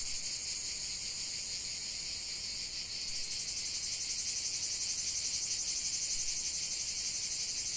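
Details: Cicadas singing in a nature recording, a high buzzing chorus that swells louder after about three seconds into a rapidly throbbing drone.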